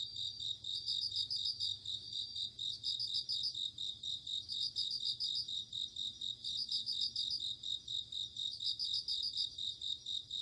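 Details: Autumn evening insect atmosphere of crickets: a high steady buzzing chorus over which short, bell-like trills of five or six rapid pulses recur about every two seconds.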